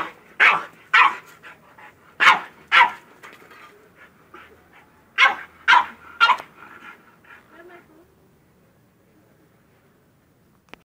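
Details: French bulldog worked up over a goat, letting out clusters of loud rough barks mixed with softer yelps and a person's voice, then falling quiet for the last few seconds.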